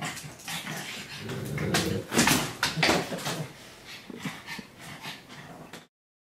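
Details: A Pug and a Great Dane wrestle playfully inside a home office, producing whimpering whines, snorts and low growly grunts about twice a second amid scuffling, fading to silence at the end.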